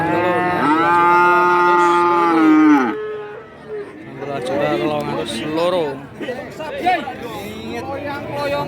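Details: Feeder cattle at the Kajen cattle market in Pekalongan, Central Java, held every Wednesday: one long, steady, deep harmonic moo lasting about two seconds, then shorter overlapping moos from other cattle and a busy market murmur.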